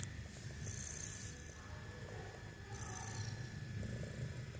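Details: Pet cat snoring while awake: a steady low rumbling purr-like drone throughout, with faint higher hissy breaths rising and fading twice.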